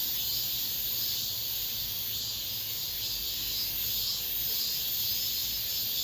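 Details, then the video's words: Cicadas singing in an apartment complex as summer ends: a bright continuous hissing drone with mild pulsing swells every second or so, no pauses. "올 여름 마지막 매미소리, 아파트 단지 내"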